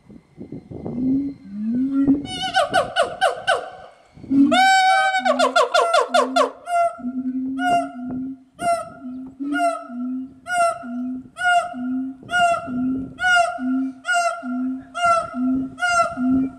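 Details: Siamang gibbons at Omaha's Henry Doorly Zoo putting on a show and making lots of noise; loud repeated whooping calls with rising hooted notes and barks, building into a rhythmic series of booming pulses about once per second, several animals calling together.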